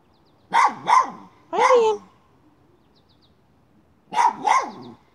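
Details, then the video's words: While hunting a chipmunk, a miniature schnauzer gives two quick sharp barks, then a longer drawn bark, a silent gap, and another fast double bark. "Hunting chipmunk by a miniature schnauzer."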